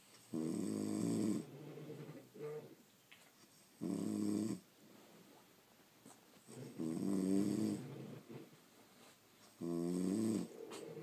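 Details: French Bulldogs asleep at home, pet dogs snoring: four loud buzzy, rattling breaths, each about a second long, separated by quieter wheezy intakes, roughly every three seconds.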